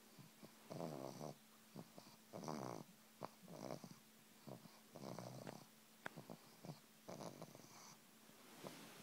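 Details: Massaged female pug hums a repeated "mmmm", soft nasal moans of about half a second coming in quick series, interspersed with faint clicks and rubbing sounds over a steady low hum.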